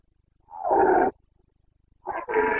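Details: Carpathian red deer stag in Bucovina during the rut, breeding season, 29 September 2022: two hoarse, harmonic roars, the first about half a second long, the second broken into a short lead-in and a sustained bellow.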